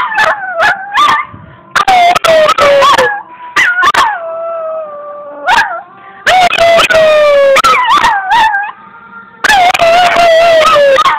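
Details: A female puppy howls for fun in drawn-out, wavering tones, broken by sharp yips and rising whines, recorded April 2, 2012.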